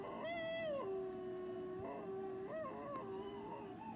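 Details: Pet dog encouraged to howl: a clear, tonal howl with rich overtones holds high, drops to a long lower note, then breaks into short wavering rises and falls near the end.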